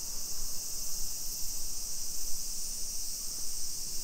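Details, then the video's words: Cicadas in summer along suburban streets of Nisshin, Aichi, Japan, 2 PM, 28 July 2021. One continuous high, hissing drone holds without pause, over a low background rumble of the neighborhood. "Summer Cicadas Sounds"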